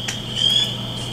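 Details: A spring peeper in Michigan, very common wherever there is water, gives a high, thin, slightly rising whistled note, one of its two call types, over a steady high ringing background.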